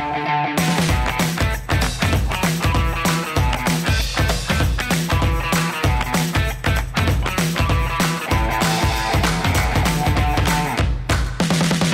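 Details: Loud rock music with driving drums and distorted guitar fills the whole stretch, with no animal sound heard.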